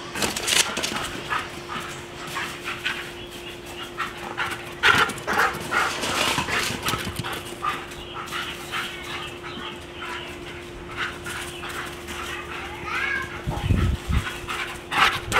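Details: A Siberian Husky playing fetch gives short, irregular yips and whimpers amid scuffling and a steady background hum. After catching and returning the ball once, it breaks into zoomies.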